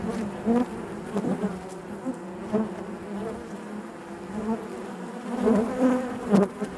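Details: Hive interior full of honey bees, their buzzing a thick continuous drone punctuated by frequent close passes that swell and fade, several bursts clustering near the start and between 5.5 and 6.5 seconds.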